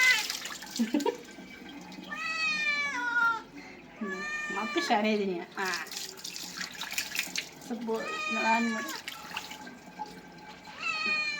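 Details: Domestic cat meowing while being bathed: a series of drawn-out, wavering meows, several rising then falling, with shorter cries between, over background music, a person talking and splashing water.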